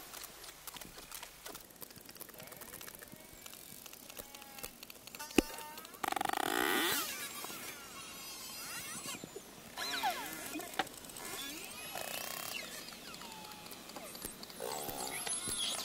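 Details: Bottlenose dolphins recorded underwater by hydrophone: wavering whistles rise and fall above dense, rapid click trains, with bursts of broadband crackle in the middle and a steady low background hiss.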